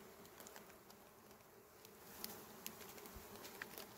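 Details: Small wild bees during a honey harvest; a steady low droning hum runs throughout, with scattered faint clicks and taps from the handling of the honeycomb.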